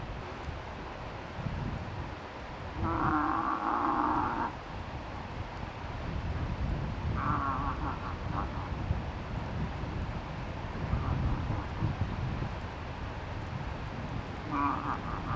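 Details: Very vocal cow moose with a five-point bull in Tokke, Norway: a long, drawn-out harmonic bleat lasting nearly two seconds, then shorter wavering bleats, over low wind rumble.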